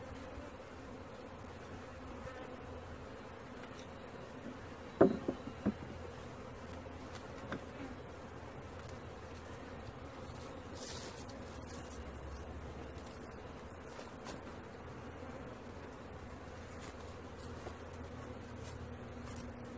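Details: Honey bee swarm being caught, a steady low droning hum of many bees with layered tones, continuous throughout, broken by a sharp knock or thump near the middle and faint rustling handling sounds.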